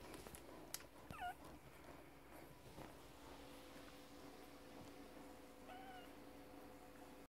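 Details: Grand Basset Griffon Vendéen pups from the Viersenhoeve N litter, minutes after birth, letting out two brief, high, bending squeaks several seconds apart amid quiet shuffling and a steady low hum.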